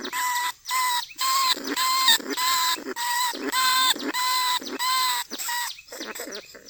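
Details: Lesser bandicoot rat, recorded live in 2569 in a cage trap in a Thai rice field, gives a steady series of ringing, whistle-like squeaks, about two each second, then rougher, fading notes at the end.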